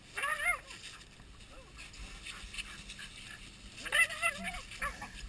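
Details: Nana and Zelda, two Border Collies, excited while a boat is cleaned on July 1, 2012: two bursts of high, warbling yelps and whines, each briefly rising and falling, over splashing and scraping with talk nearby.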